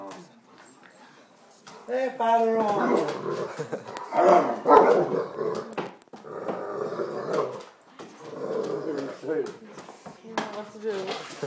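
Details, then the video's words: Excited dog greeting a family member back home after around a month away, a welcome repeated each time; bursts of barking and yelping alternate with drawn-out whines amid steady human chatter. "Dog's Home Welcoming"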